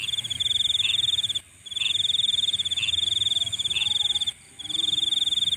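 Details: Insects calling at night: a steady, pulsing high trill that cuts out briefly twice, with short lower chirps repeating about once a second beneath it and a faint low hum.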